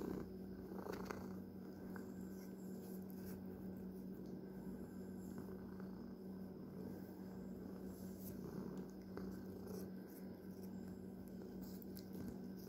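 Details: Domestic pet cat purring quietly, a continuous low, even rumble held throughout with faint clicks and soft handling noises in a quiet room.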